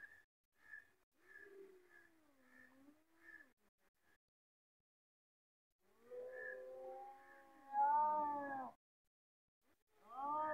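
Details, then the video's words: Cats about to fight: a low, moaning growl that rises and dips, soft repeated blips, then a swelling layered yowl that breaks off abruptly and a final harsh cry. "Cats are Fighting"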